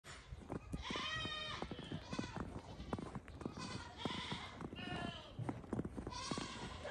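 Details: Goats in a barn at night during a snowstorm, calling demandingly while waiting for grain at evening chores: several overlapping wavering bleats, one after another, over clattering, shuffling and crunching noises.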